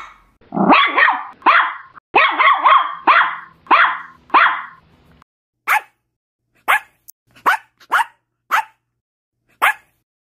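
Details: Small dogs, a Papillon, a Chihuahua and a Yorkshire Terrier, give sharp, high-pitched barks, first in quick runs, then singly at irregular gaps.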